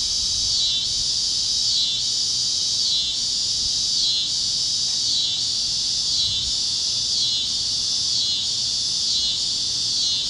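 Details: Cicadas chirping on a warm Kansas evening at sunset: loud, even high-pitched buzzing in regular swells roughly every second, with little else audible beyond a faint low hum.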